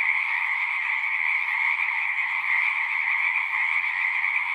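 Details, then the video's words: Many frogs singing together in a constant, dense trilling chorus, layered in a mid and a higher band, holding level throughout; a very faint low hum sits far beneath. "One hour of singing frogs."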